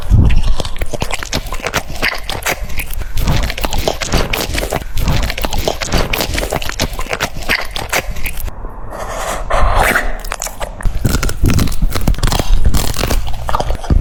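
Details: Long spell of a French Bulldog eating cucumbers, dense crackling crunches and wet chomping almost without pause, easing briefly near the middle before the rapid biting resumes.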